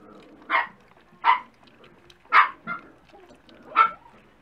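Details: Dachshund puppies at breakfast time, indoors: five short, sharp barks or yips spaced about a second apart, bright and mid-pitched, with quiet gaps and faint background noise between them.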